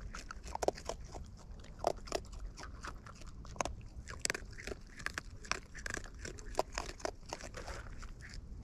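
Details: Wild raccoons eating close up, with crunchy chewing and biting sounds: irregular sharp clicks and crunches scattered through the clip over a low background rumble.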